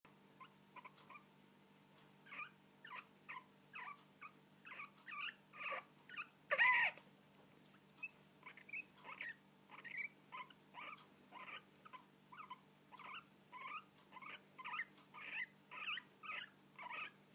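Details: Guinea pigs hiccuping: short, sharp squeaky bursts repeated in quick, fairly steady succession throughout, about two per second, with one louder burst near the middle; faint steady hum underneath.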